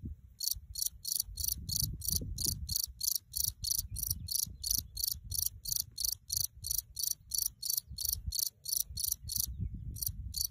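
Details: A cricket in the Alps sings steady, high, dry chirps, about three each second, over a low wind rumble.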